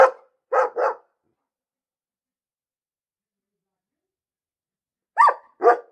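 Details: Dog barking in short bursts: one bark, then a close pair, a long silence of about four seconds, then two final barks; nothing else audible.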